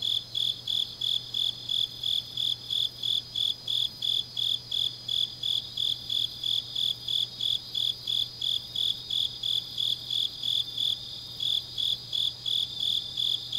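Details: Rhythmic chirping of autumn grass insects late at night in Changnyeong, Korea, high and ringing, pulsed close to three times a second without a break, accompanied by a weak low-frequency hum.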